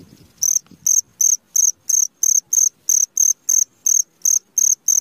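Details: Cricket calling at midnight: loud, high-pitched chirps repeated steadily about three times a second, each a short bright pulse; a faint low rustle at the very start.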